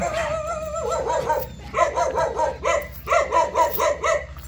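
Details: Jindo dog, named Baekseoni, calling in a long wavering howl that breaks into a rapid series of short rhythmic yelps, roughly eight pulses in under three seconds, harmonic and mid-pitched over a faint low hum.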